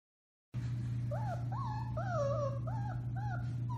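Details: Four-week-old Alaskan Malamute puppies from the Bema and Cole litter, recorded March 30, 2021, howl in a chorus of short rising-and-falling wavering yips and howls, several voices overlapping, over a steady low electrical hum.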